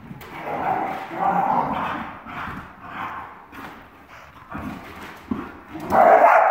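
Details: Jax and Penny, sibling Dachshunds, in energetic puppy play, chasing around the house. A run of throaty, rolling growls and grumbles comes in waves, ending in a loud, higher bark-growl.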